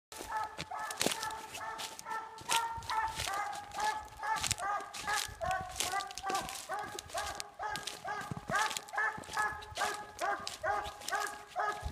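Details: A Treeing Walker Coonhound barks steadily at a tree it has treed, loud ringing chops coming about twice a second.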